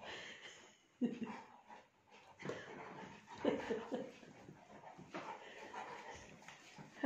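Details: Saint Bernard puppy playing with its mother indoors, giving short, breathy whining and grumbling vocal bursts in irregular clusters, some faint speech-like sounds between them.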